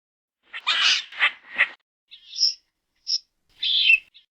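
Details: Squirrel calling: a run of short, harsh, broadband chattering bursts, then a few higher, thinner squeaky notes spaced about half a second apart, in a quiet setting with no other sounds.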